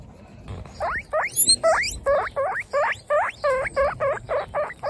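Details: Baby guinea pigs from a group of 26 females on their first outdoor picnic give loud, harmonic squeaks. Each squeak swoops upward then bends down, repeated steadily about three times a second for four seconds over quiet background rustle.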